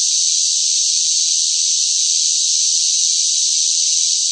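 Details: Loud cicadas singing in hot summer heat: one unbroken, even, high-pitched hiss-like drone that holds steady throughout with no pulses or pauses and no other sounds.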